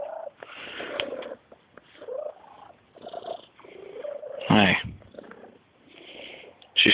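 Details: A pet female kitten purrs strangely, with chirpy, wavering trills in short bursts broken by pauses, while a woman talks softly and there are a few loud bumps.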